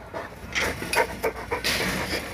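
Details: Boerboel, a South African Mastiff living in Egypt, panting in a series of breathy, broadband bursts about every quarter to half second, with low background rumble.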